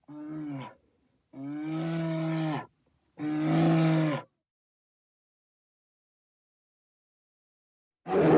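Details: Bear uttering three deep, harmonic moaning roars, the first brief and the next two over a second long, followed by several seconds of silence and the start of another roar.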